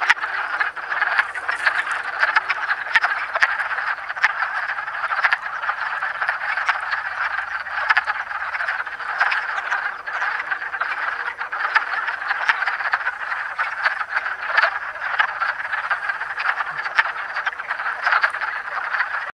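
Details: Wood frogs calling during amplexus in south central Pennsylvania on 7 March 2009: a dense, continuous chorus of overlapping clucking, croaking calls forming an unbroken rattling din with no pauses.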